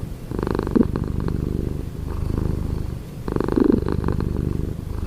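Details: A cat purrs in the morning at close range, two rumbling breath cycles with a softer lull between them, deep and even throughout.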